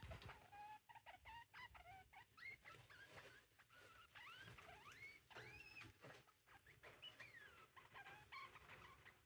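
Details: Several degus being introduced to each other trade quick, high chirps and squeaks that swoop up and down, overlapping almost without pause, over soft rustling and scuffling.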